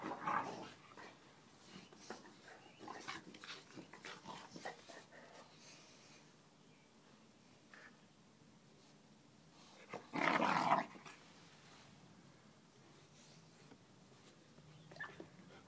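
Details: A 12-week-old bully-style American Pit Bull Terrier puppy makes soft snuffling and whimpering noises, then one loud, harsh bark near the end; faint human voices and thumps behind.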